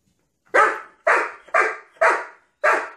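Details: Doberman guarding an elk antler from its owner: five loud, harsh barks in quick succession, each a short burst that fades, spaced about half a second apart, with silence between.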